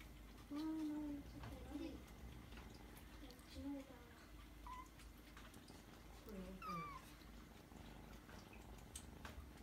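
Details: Kitten giving soft, small-voiced meows while being petted on the forehead indoors; several short tonal calls, some rising then falling, spaced over about seven seconds, with faint room noise underneath.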